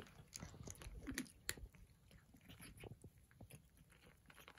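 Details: Breakfast-time crunching from Persian cats: quick dry bites and chews, roughly three a second, sharp clicky crunches early, then softer mouth noises.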